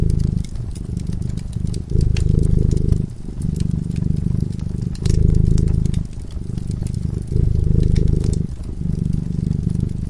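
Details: A cat drifting into sleep at the fireside purrs in a soft, vibrating rumble, pausing briefly between breaths every second or two, as the fire crackles and pops in the background.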